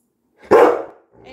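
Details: Labrador Retriever Coco, a pet dog being coaxed to calm down, gives one loud, abrupt bark in a quiet room.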